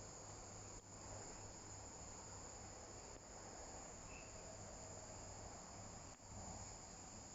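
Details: Viadana katydid chirping in San Juan, Santa Cruz, Bolivia, on 10 February 2022, a continuous shrill buzzing chorus with a few brief dips, over a constant low hum.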